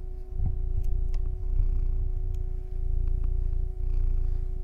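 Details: Pet cat named Smi purring pretty loud, a steady low rumbling pulse that dips briefly near the third and fourth seconds, with faint constant hum tones and a few soft clicks above it.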